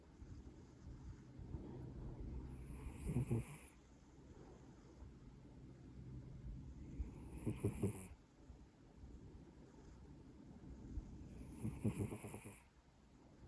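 A Maine Coon cat snores in slow, raspy breaths, each rough rattle recurring about every four to five seconds.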